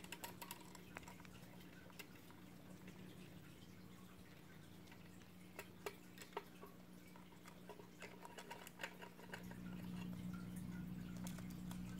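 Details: Indoor clicks, taps and faint dripping over a steady low hum, which grows louder near the end, with no clear bird calls.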